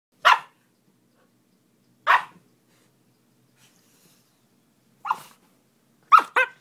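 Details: Young Siberian husky while playing, giving sharp yappy barks spaced by silent pauses, singly at first, then a quick double yelp near the end, in a quiet room.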